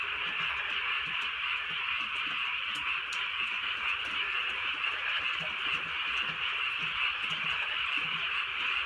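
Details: Countryside night in light rain, many frogs croaking together in an unbroken shrill, pulsing wall of sound, with quick rhythmic throbs about twice a second and gentle rainfall in the background.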